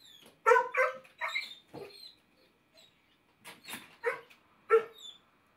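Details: Stinky, a Basset Hound wearing a no-bark collar, barks in quick clusters, some doubled, with a short pause before another burst of loud barks and a high whine.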